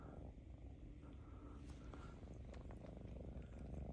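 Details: One of two affectionate Ragdoll cats purrs in a low, steady, rumbling drone that carries on without a break.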